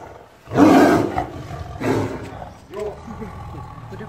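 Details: A zoo tiger gives two deep, rasping roars, guarding its food from the keeper, followed by a man speaking.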